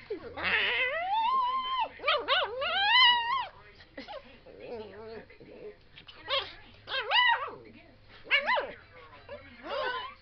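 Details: Fizzgig, a pet dog who hates even the slightest breeze on his face, whining in a whiny mood: high, wavering harmonic whines that rise and fall in pitch, coming in bursts with short gaps.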